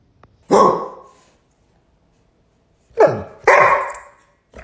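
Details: A pet dog, angry after its owner barks at it, lets out three loud, harsh, explosive barks. The first stands alone, and two come close together near the end, with silence between them.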